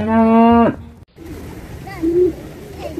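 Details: Cow giving one loud, deep, droning moo with rich harmonics that breaks off after under a second, followed by quieter mixed animal calls in the background.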